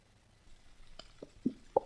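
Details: A gray whale gives a few short, hollow, knocking boops about a quarter second apart, the sound gray whales use to communicate and say hello.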